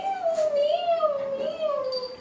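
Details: Cat drawing out one long, steady, wavering meow for over two seconds, pitch sliding gently up and down while staying mid-high, indoors, with a woman speaking Bengali just before and after.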